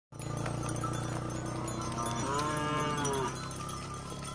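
A cow lets out a deep, drawn-out moo that swells and curves in pitch before trailing off. A constant low drone and faint cowbell or music-like tones run underneath.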